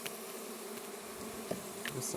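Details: Russian honey bee colony heard as its hive on a red stand is opened for the first time: a steady low droning hum with a faint higher overtone, broken by light clicks and knocks of frames being handled.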